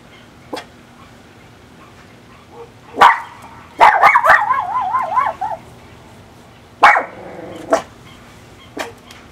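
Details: A 2-year-old female Miniature Pinscher barking like crazy as she gets ready to go outside: sharp, excited barks with a wavering, yelping whine between them.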